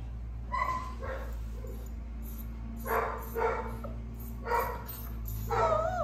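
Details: Young black female Flat-coated Retriever, sole black pup of her litter, letting out short bursts of high yips and small barks, some with a wavering whine, spaced about a second or more apart against a steady low hum.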